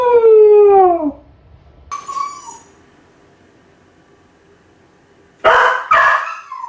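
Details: Ichi the Kai Ken, crying nonstop while left home alone: a clear howl gliding downward, a brief higher whine, a long quiet gap, then two loud harsh yelping barks.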